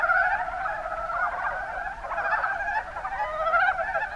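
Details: A chorus of mountain brown frogs, Kuma Basin in Kumamoto Prefecture, Japan, with many overlapping rapid clucking croaks blending into a steady rippling chatter.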